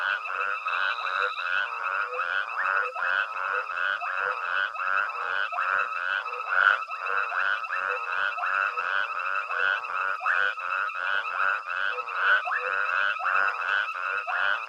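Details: Long stretch of nocturnal frog chorus from Hwange Safari Lodge, Zimbabwe, with elephants foraging nearby: unbroken overlapping croaks pulse about once or twice a second, steady in level throughout.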